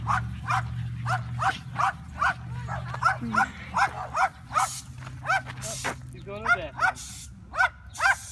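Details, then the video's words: French Bulldog barking back at a loud dog in a car; a steady series of sharp barks, roughly one every half second, with a low engine hum underneath and some overlapping barks from the other dog. "Frenchie versus loud car dog"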